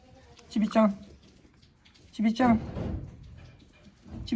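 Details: Goats crowd around at Yoshigake goat farm, 10 March 2024: the one-year-old male Leo and twin male kids ten days old. Two wavering bleats that fall slightly in pitch, close together, then a third begins at the end; quiet talking between.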